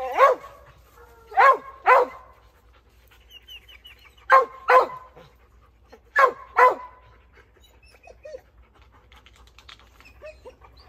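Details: Dogs barking toward something in a tree: barks come in paired bursts separated by pauses of a couple of seconds, with faint higher chirping or squeaky calls in the gaps between them.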